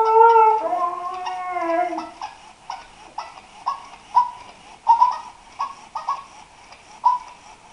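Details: Daisy the Husky opens with a drawn-out whining howl that bends downward, followed by quieter, clipped vocal bursts spaced roughly every half second in an indoor setting.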